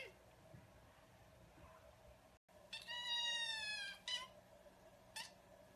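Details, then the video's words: Kitten gives one long, loud, high meow lasting over a second and held at an even pitch, then two short sharp cries, against a quiet indoor background with a faint steady hum. "Cute Kittens Meowing"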